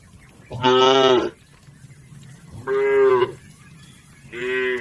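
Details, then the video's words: Tame village cattle, a healthy herd grazing in a green field, give three drawn-out moos, each just under a second, separated by short quiet pauses, the last slightly higher and thinner. "Suara sapi Moo"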